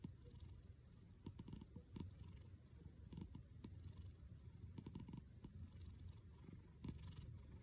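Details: A cat's snoring-style purr, a low pulsing rumble that holds steady, with bursts of sharp clicks at about one, two, three and five seconds.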